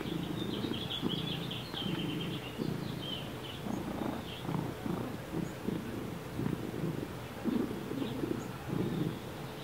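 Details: Baby, a pet cat that is deaf and has neurological and breathing trouble, snores while awake: steady rhythmic rasping pulses about twice a second, with bird chirps early in the background.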